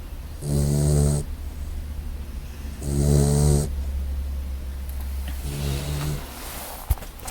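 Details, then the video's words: Brindle English Mastiff puppy asleep indoors, giving two loud, rasping, rumbling snores about two seconds apart, then a softer third snore, over a steady low hum, with a small click near the end. "Puppy Snoring // English Mastiff"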